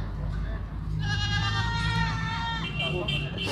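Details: Sirohi goat at a goat farm in Pushkar, Ajmer district, Rajasthan, India: one long, wavering, nasal bleat of about one and a half seconds, holding steady and then dropping at the end, with people talking in the background.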